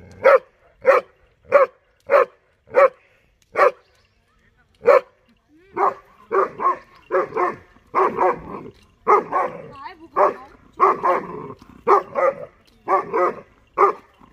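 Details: Dollar, a German Shepherd puppy of 6.5 months, barks at buffaloes he dislikes. First come seven evenly spaced, crisp barks, then a brief lull, then a dense, rougher run of overlapping barks.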